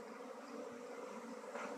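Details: Colony buzz from honey bees during a transfer out of a log hive into a modern box hive in Nepal. A soft, even drone with a faint hiss over it.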